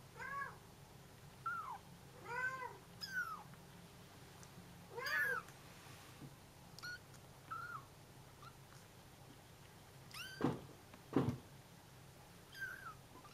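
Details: Bengal kittens call their mother, who is taking a short walk; hearing them, she answers. About ten harmonic mews come in irregular bursts, some clipped, others drawn out and bending in pitch, with two sharp knocks near the end in a quiet room.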